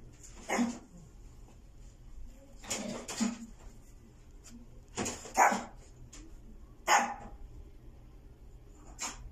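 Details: A white female Maltese puppy born 29 August 2020 gives sharp, high barks, single or in quick doubles, spaced about two seconds apart, in a quiet room with faint low hum.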